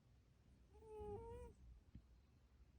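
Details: Coco, a pet cat, snores softly in a quiet recording: one drawn-out whistling breath with a wavering tone that rises slightly toward its end, then low background rumble.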